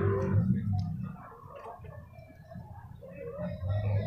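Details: Low-pitched voices talk indoors at a buffalo market, with faint plucked music and no clear animal call.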